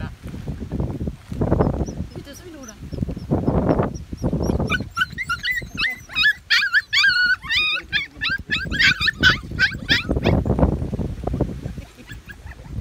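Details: Medium poodle puppies, recorded June 28, 2018; low muffled sounds and handling noise at first, then a dense burst of high wavering whimpers and squeals from several pups lasting about five seconds before fading into rustling.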